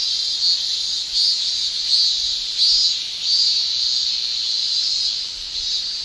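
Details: High shrilling drone of cicadas in a Japanese summer. Louder buzzy pulses swell out of the steady hiss about once every second. No other clear sounds.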